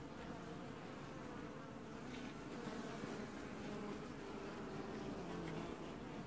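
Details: Honey bees washboarding at their hive in an apiary in early July 2019 give a thick, continuous buzzing drone with layered low tones that stays even throughout, with no other clear sounds.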